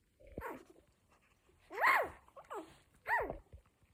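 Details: One-week-old Cocker Spaniel puppies give three high, arching squeals with rich harmonics, each rising then sliding down, the middle and last loudest, separated by short quiet gaps indoors.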